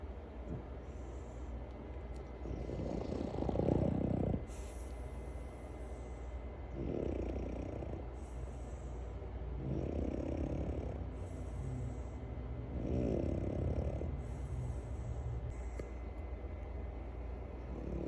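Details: Sleeping dog snoring in low, rumbling breaths, each drawn-out snore lasting about a second and recurring every three seconds or so, with a faint steady high hum underneath.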